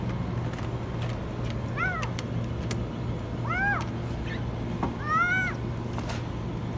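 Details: Trapped in a washing machine, a kitten meows very high: three arched cries spaced about 1.5 seconds apart, with clicks and a steady low hum around them.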